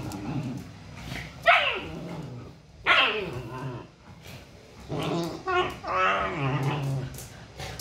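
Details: Siberian Husky mom disciplining pups: two sharp, sudden barks a second and a half apart, then a run of throaty, modulated grumbles that rise and fall.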